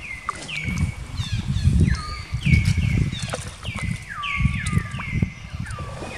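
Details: Female baby monkey Jinx crying during an attack by another monkey, Spring: a dense run of high, tonal wails, each dropping and then holding steady, with overlapping cries and heavy low-pitched thumps and rustling.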